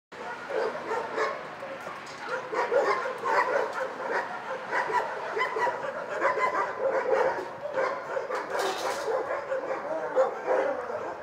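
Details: Many dogs barking together in a shelter, a dense continuous chorus of overlapping barks and yelps with no pauses, steady throughout.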